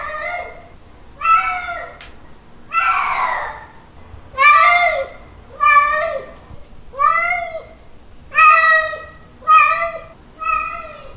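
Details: Male cat calling a female during mating: a run of about nine loud, harmonic yowls, some bending upward at the end, coming roughly once a second against a faint background hum.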